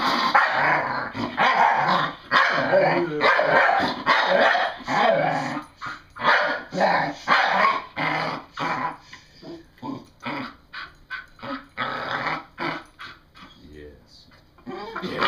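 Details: A female English Bull Terrier, excited and having fun, gives loud, rough barks and growly yips in a quick, uneven burst, as she has sounded since she was young.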